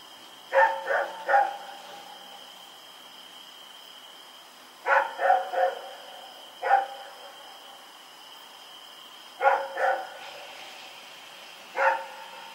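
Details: Night recording from October 7, 2018 of the dog Rex running around: irregular bursts of one to three quick barks spaced a few seconds apart, over a persistent high-pitched hum.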